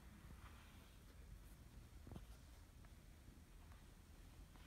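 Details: Male British Shorthair named Kimi stretching and purring loudly as he enjoys a brushing; continuous deep, throbbing rumble under soft rustling brush sounds and a few light taps.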